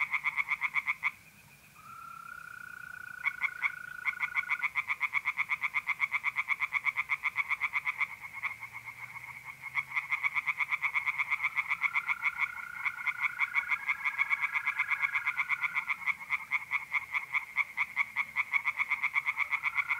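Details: Tree frogs singing in a pond at night in mid-April in north-eastern Italy: a dense chorus of fast, rattling pulses, several overlapping callers. Steady, level mole cricket trills run beneath, with a brief lull near the start.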